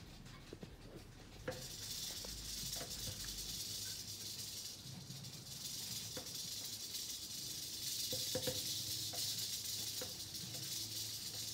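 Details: Eastern diamondback rattlesnake, quiet at first with scattered clicks, then breaking into a continuous high dry buzzing rattle that grows louder and persists to the end, over low background hum.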